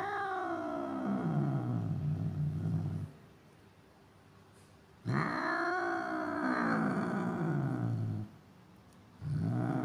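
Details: Angry cat gives long, low, tense growling yowls, each about three to four seconds, bending down and then wavering in pitch. Short quiet gaps separate them, and a third yowl starts at the end.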